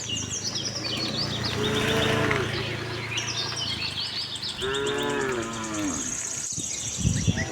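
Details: Tame cattle herd roaming a farm in search of fresh grass: two drawn-out harmonic moos, the first longer and swelling, the second near five seconds, with birds chirping and twittering high above throughout.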